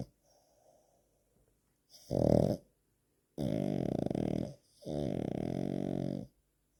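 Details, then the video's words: Pug–French Bulldog mix (frug) snoring: three loud, rasping, throaty snore breaths, a short one followed by two long drawn-out ones of over a second each, with near silence between them indoors. "snoring pug (frug)"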